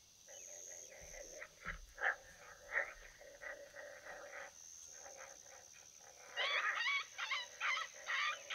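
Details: Coyote vocalizing during a hunt: a busy run of short, rough, repeated barking yips and wavering cries, several voices overlapping, growing into a louder burst of high yelps toward the end.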